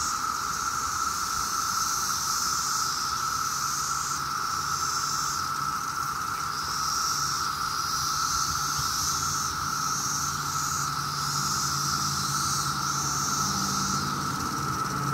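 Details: Massed 17-year cicadas on a summer day in Maryland, an emergence last seen there in 2004. A constant droning hum runs throughout, with a higher hissing wash swelling and fading every second or two, over faint low background rumble.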